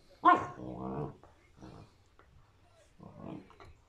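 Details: A Shepherd Rottweiler mix dog gives a sharp bark that trails into a rough, growly drawl while playing with an orange, on May 17, 2021.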